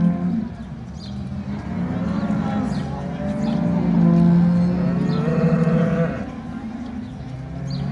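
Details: Brown Swiss cattle at the 2022 centenary cattle show of both Appenzell cantons, Switzerland: a long, low, drawn-out moo swelling in the middle, with crowd voices and chatter underneath.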